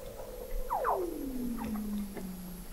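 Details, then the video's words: Weddell seals under thick sea ice in McMurdo Sound, Antarctica, recorded November 2017 by the McMurdo Oceanographic Observatory 21 m below the ice: a long descending whistle gliding from high to low, with smaller downward sweeps and chirps around it. "Song of the Antarctic Weddell Seal"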